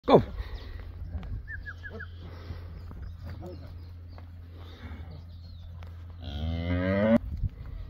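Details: Beefmaster first-calf cow among a herd of 24 cows with 24 calves, one drawn-out harmonic moo near the end after a quieter stretch of low rumbling and faint shuffling, with a man's brief spoken words.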